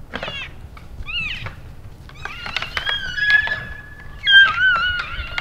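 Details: Late-January elk bulls in the Canadian Rockies practising by sparring after the rut; brief high squeals and knocks give way to a long, flat whistled tone, then a louder wavering squeal near the end, with clicks scattered throughout.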